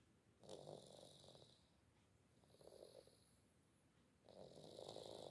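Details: A sleeping pet cat named Gembul snores indoors. Three raspy, fluttering breaths come about a second and a half apart, each a rough pulsed rasp with a pause between. A steady faint hiss runs underneath.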